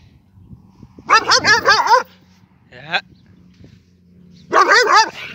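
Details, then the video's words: An angry dog lets out a burst of rapid, harsh barks, pauses with a short yelp-like sound, then barks again in a fast cluster of about five. "angry dog"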